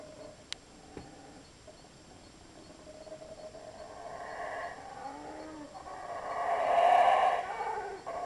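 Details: Monkeys passing through the jungle at Belmopan, Belize, in 2006 call in deep, rough, swelling bursts that build to a loud roaring peak before easing.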